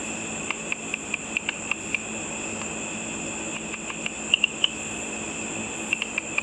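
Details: Insect-eating bats flying over a pool in darkness, picked up by a simple ultrasonic frequency divider bat detector: irregular series of dry ticking pulses in bursts with short gaps, over a steady high electronic tone.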